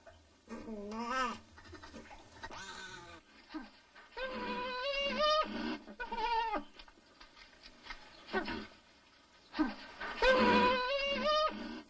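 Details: Nutria while mating, with wavering, nasal moans that rise and dip in pitch, coming in irregular bursts, the loudest and harshest near the end.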